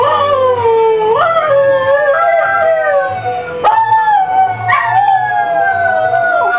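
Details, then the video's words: Pet ex-racing greyhound howling along to the song "Oh Well" playing in the background: long, wavering, harmonic howls that slide down, with sudden upward breaks near the first, fourth and fifth seconds, over steady music. "greyhound sings along with Oh Well!"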